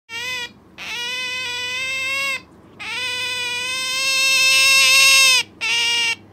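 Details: Sakura, a pet Asian small-clawed otter indoors, clinging to her owner and being noisy: long, high, harmonic-rich whining calls held steady for over a second each, several in a row with short gaps, rising in loudness.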